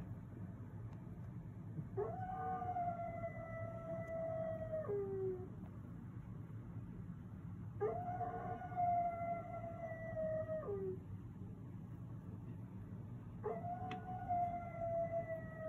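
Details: Leashed pet dog in a front yard howling three times, each howl a sustained level tone of about three seconds that dips lower at the end, spaced roughly every six seconds over a steady low rumble.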